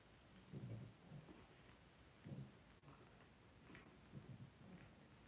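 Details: Blenheim Cavalier King Charles Spaniel pups, two weeks old, from a New Year's litter of five kept in a home puppy pen, make three bursts of muffled, deep grunting about every one and a half seconds, with a quiet background hum.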